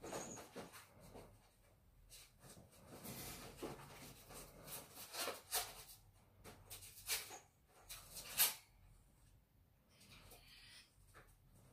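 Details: Several ferrets fighting: a run of sharp, broadband hissy bursts and scuffling rustles, some brief and clustered, others spaced a second or so apart, with one sudden loud high crackle near the end and quiet gaps between.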